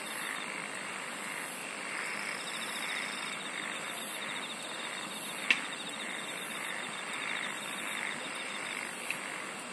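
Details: Insects singing in a nature soundscape: very high, buzzy bursts repeating about every one and a half seconds over a steady pulsed mid-high trill and a dense, hissing background chorus, with one sharp click midway.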